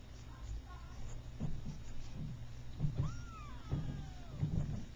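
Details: Three-week-old Persian kitten, one of a litter of two red and white and one cream and white, at play; one drawn-out meow arching high then sliding down, amid low thumps and soft murmuring against a constant low hum.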